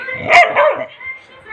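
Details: Angry Labrador Retriever gives a single loud, harsh bark, with a woman speaking Hindi before and after, telling the dog to go back.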